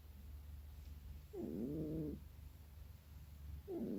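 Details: Female domestic cat making funny noises while sleeping: two soft, low, wavering mew-like calls, the first drawn out for nearly a second, the second starting just before the end, over a steady low hum.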